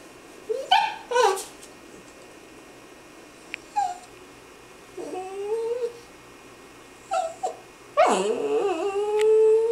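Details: Female puppy making funny noises indoors: a series of short high whimpers and yips, some rising and some falling, ending in a longer drawn-out whine that slides upward and holds.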